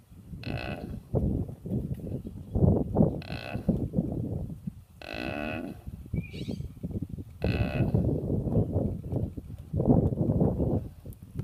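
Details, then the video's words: Snoring cow, heard as rhythmic, low, raspy breaths rising and falling about once a second, with several brief, brighter, harmonic bursts of a nasal, groaning tone between them. "Snoring cow"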